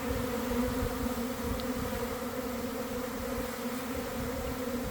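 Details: A honey bee swarm developing at midday beside a garden hive after a week of cold and damp, some bees beginning to fan: a thick, continuous droning buzz with slight swells in loudness.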